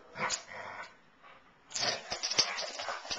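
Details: Two Basset Hounds, Darwin and Elvis, playing together: rough, noisy growling and snuffling bursts, a short run near the start, a quiet gap, then a denser burst of scratchy sounds with sharp clicks.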